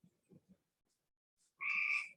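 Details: Cope's gray treefrog from Monett, Missouri, farther west in its range, giving one short squawky trill of about half a second, buzzy and harmonic-rich, after a few soft low bumps.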